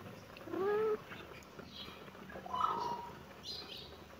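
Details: Kitten meowing in reaction to seeing the camera: one short bending meow that rises then falls, followed about two seconds later by a fainter second meow, with low background hiss.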